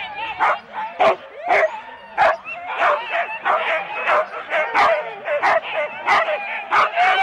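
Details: Four-dog Husky teams at the start of a sled race, Rendlesham, January 2016, captured on analogue cassette tape: a continuous run of eager barks and yelps from several dogs, about one or two per second, overlapping.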